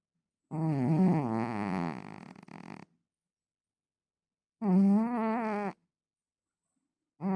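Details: A pet cat snoring loudly indoors: a long, buzzy, voiced snore lasting over two seconds, then a shorter one about four seconds later, and the start of a third, with near silence between breaths.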